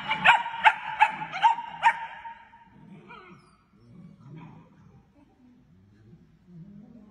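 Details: German Shepherd. Young German Shepherds let out five bright, high-pitched yips in quick succession, each clipped and ringing. The burst fades into quieter, low grumbling and whimpering sounds for the rest of the stretch.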